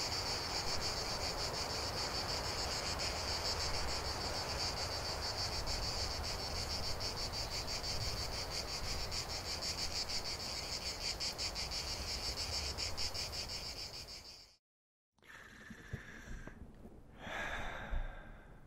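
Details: Cicadas singing in nature: a dense, shrill, steady buzz with fast rhythmic pulsing that holds through most of the clip over a broad rushing background. An abrupt cut near the end leaves a brief silence, then fainter, different sounds.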